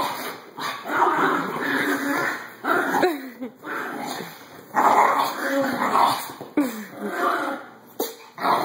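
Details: Small dogs, a Chinese crested, a Chihuahua and a Yorkie mix, play fighting: rough continuous growling and snarling with short yips and whimpers, rising and breaking off in bursts, over a steady high electronic hum.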